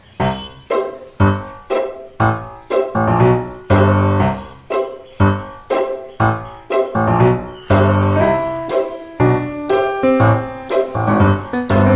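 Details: Bouncy piano notes are struck in a regular rhythm, joined halfway by bright chimes, with no animal sounds present.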